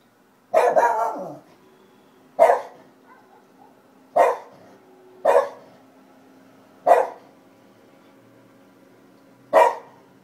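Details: Shiba Inu named Kobe barks at nothing: six loud barks, the first drawn out with a falling, whiny tail, then clipped single barks every one to two and a half seconds over a faint steady hum.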